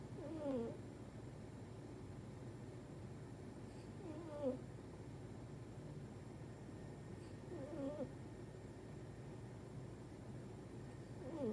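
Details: Manon, a pet dog sleeping soundly on her side with front legs stretched out, snoring: faint squeaky, whistling nasal snores that rise and fall, repeating roughly every three and a half seconds over a steady low indoor hum.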